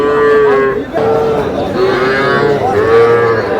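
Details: Young bull calves at a cattle market, among thirty bought on 23 June by a farmer from Kushtia: drawn-out, steady low moos repeated several times in quick succession, with faint voices of bargaining people behind.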